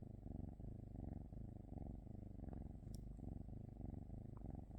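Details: Continuous low, throaty purr from a cat, pulsing in even breath cycles roughly twice per second, with a faint click partway through.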